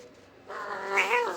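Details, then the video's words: Jealous, angry domestic cat lets out a loud, rising, harmonic yowl that bends upward near its end, while a woman talks to it in Kannada and laughs afterward. "Cat angry mood"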